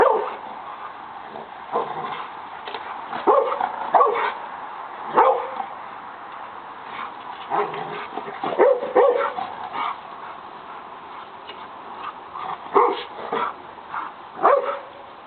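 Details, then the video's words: A pet dog attacking a lawn mower, giving short, sharp barks and yips in irregular bursts with brief whimpers between, scattered over the recording against a low background. "my dog, attacking the lawn mower"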